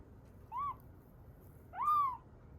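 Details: Rescued kitten aged roughly three to seven weeks, found in Osaka; two short, thin mews arching up and down, the second longer and louder, with quiet room hiss between them.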